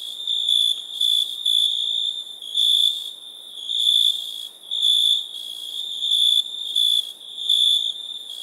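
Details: Crickets at night giving a continuous high-pitched trill broken into loud bursts close to once per second, the background hum of the chorus never stopping.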